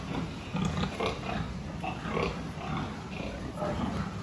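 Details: Pigs on a farm during a health check on 26 October 2023, giving short, low grunts in scattered bursts about every half second over a constant hum of barn noise, with faint human voices.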